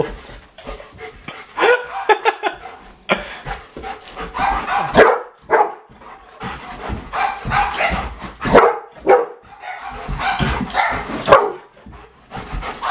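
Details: Bo, a Golden Retriever, barks excitedly while chasing a laser pointer in a prank; rapid uneven volleys of sharp barks and yips come in clusters, with short pauses and some household background noise.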